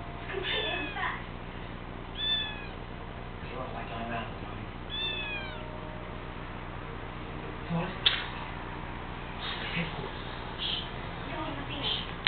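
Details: Male house cat mewing plaintively after failing to scare away the camera he treats as an enemy; drawn-out meows with falling tails near the start, at two and at five seconds, with people talking in Chinese and indoor murmur around them.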